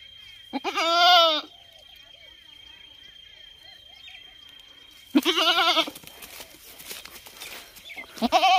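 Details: ['Goat giving a loud, quavering bleat, then a long pause of faint background sound before a second, harsher bleat and the start of a third, with a thin steady high tone running throughout.']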